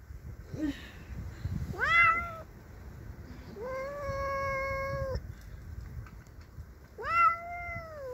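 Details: Cassey, a pet cat confronting a neighbour's cat on her territory, utters three yowls: a quick upswept cry, a steady flat drawn-out howl, then another rising wail, with low background rumble between.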